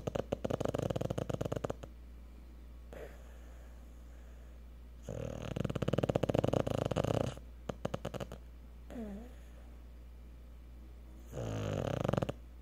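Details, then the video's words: Tired Cocker Spaniel asleep after a day at the park; irregular rasping snores and breathy rattles, with a couple of squeaky nasal whimpers between them. "Snoring Cocker spaniel!"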